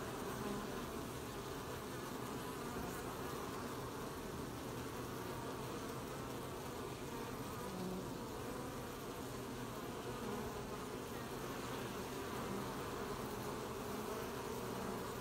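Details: Honey bees working to collect honey at an apiary, 20 July 2020; a long, steady swarm hum with slight swells in the low drone and a background hiss.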